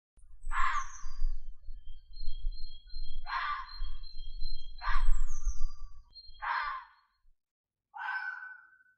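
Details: Fox giving five harsh, raspy screams about one and a half seconds apart, each a short hoarse burst. Thin whistled tones and low rumbling noise sound in the background.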